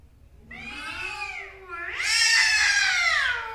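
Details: Male cats in an angry fight, one low moaning growl-like wail rising into a loud, harsh, high-pitched screech that holds steady, faint low hum beneath.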